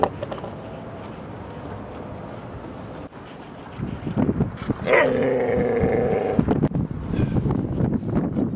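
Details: Playtime at Seal Point Dog Park, San Francisco Bay, 14 September 2015, with Rosy, Rocky and a husky puppy; after rumbling background noise, a sudden rising yelp turns into a sustained, wavering tonal howl lasting over a second.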